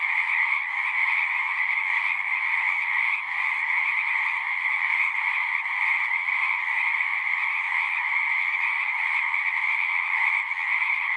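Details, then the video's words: Chorus of frogs at a horse-pasture pond, Zoom recording: an unbroken mass of rapid croaking trills, steady and even in volume, densely layered so no single caller stands out. "Frogs singing"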